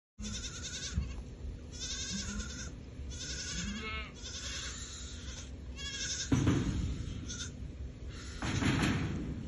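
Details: Goats, a herd of eight prized Mashareek does kept in Al-Summan, bleating repeatedly in short nasal bursts, several overlapping callers, with wind rumble and handling noise in the background.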